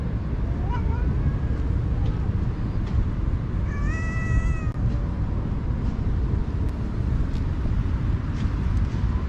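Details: Cat mewing while a kind person feeds it: a short rising mew, then a clear sustained meow lasting about a second. A constant heavy low rumble, like wind or passing traffic, fills the background.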